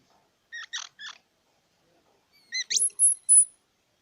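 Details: Three buzzy squeaks from a squirrel, then a quick rising chirp that leads into long, very high, thin whistles. Silence in between.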